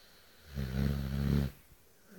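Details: Young female Cane Corso, eight months old, snoring like a lumberjack; a single deep, rumbling, rattly inhalation snore of about a second that swells and then cuts off abruptly, indoors with little else audible.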